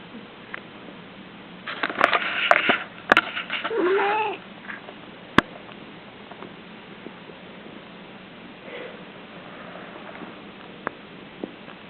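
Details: Kilala, a pet cat, dreams and snores, giving puppy-like whimpers. A burst of breathy, rustling snorts and sniffs carries a short, rising-and-falling whine. Sharp clicks come next, then quiet room tone with faint soft breaths.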